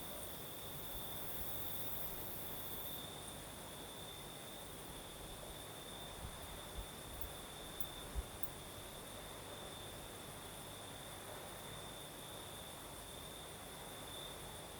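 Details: Night chorus of crickets in southern Crimea: a continuous high-pitched ringing trill that never pauses, over a gentle breeze hiss, with a few faint low knocks midway.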